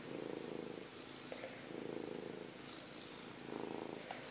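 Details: Cuddled house cat giving a continuous soft purr, the rumble rising and easing in slow rhythmic pulses, with a faint click midway.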